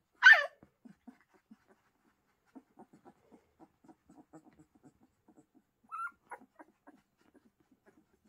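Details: Pyrenean Mountain Dog puppies at the Ehrenberger Hof: one sharp, high yelp at the start, then soft scattered snuffles and small whines, and a brief rising whine near the end.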